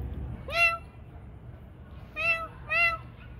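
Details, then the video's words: Cats at night feeding time give three clear meows, a rising-falling first call, then two similar mewing cries close together after a pause, over a low background hum. "Food night cats"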